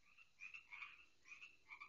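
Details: Many loud frogs calling near a garden pond, heard from indoors: short nasal croaks with bright upper tones, several overlapping in quick bursts.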